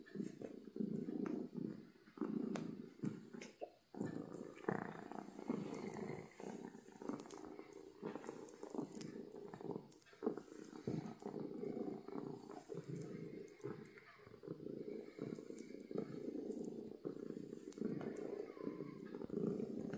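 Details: Loud contented purring of a happy domestic cat, a continuous low rumble with gentle pulsing and occasional small breaks, a few light clicks and rustles nearby.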